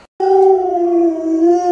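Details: Luoluo, a pet Alaskan Malamute playing hide and seek with its owner, gives one steady, drawn-out howl lasting about a second and a half. The tone stays level and even throughout, with no other sounds heard.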